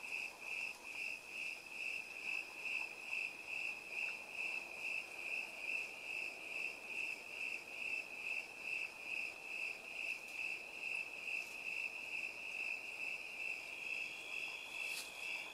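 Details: Crickets trill steadily in chorus in an orchard of plum and apple trees beside ponderosa pines, a high pulsing chirp repeated a little over twice per second.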